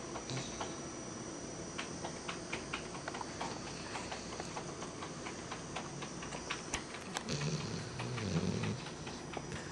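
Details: Brian, a pet dog, snoring while asleep with his eyes open indoors; a soft, low rumbling breath noise rises and falls over the clip, with faint clicks and small noises, no voices.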